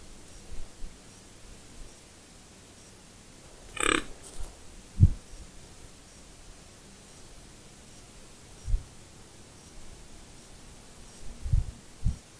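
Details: A 4x4 White-tailed Deer buck pursuing a doe that leads him, snorting to make his intentions clear, 30 November 2021; a sharp breathy burst near four seconds, then short low puffs spaced irregularly over a quiet background.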